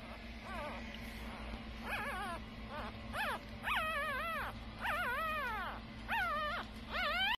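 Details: Two five-day-old female puppies whimpering: high, wavering whines that rise then dip, coming about once a second and growing louder toward the end, over a steady low hum.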